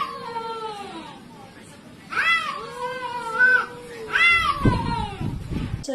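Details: Domestic cat giving long drawn-out meows: a slowly falling tonal wail, then a level, stretched yowl that bends up and down, and a final rising-falling cry over a burst of rustling, with faint voices behind.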